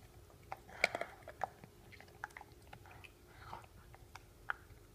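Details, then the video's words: Pit bull eating a bone indoors, a short run of crisp crunching bites and wet chewing clicks, one loud crack near the start, over a quiet low hum. "Pitbull Eating a Bone !!!"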